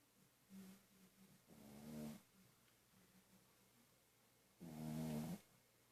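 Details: Snoring Pug-a-Poo dog, asleep: soft low hums on the out-breath alternate with louder rough, rattling snores, two strong snores about three seconds apart in a quiet room.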